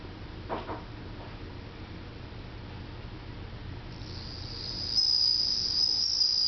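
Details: Bell cricket's summer song at home: quiet low hum and a couple of soft taps at first, then a clear, sparkling high trill starts partway through and carries on to the end.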